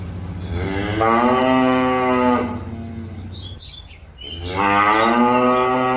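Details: Cow calling companions back to the pen: a long, strong moo over two seconds, a brief gap with bird chirps, then a second loud moo.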